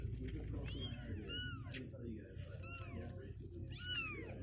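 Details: Restless two-week-old kittens, not wanting to stay in their box, cry in four separate thin, arching mews spaced about a second apart over a steady low rumble of room noise.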